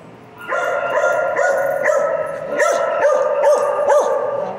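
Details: Piper, a dog, talking in a steady, resonant, howl-like drone that begins after a short quiet start. Short arched yips recur roughly every half second over it.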